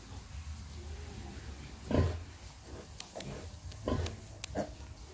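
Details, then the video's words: Mother pig nursing piglets, uttering a couple of deep, short grunts about two seconds apart over a low steady hum, with faint clicks and squeaks. "Pig breastfed piglets"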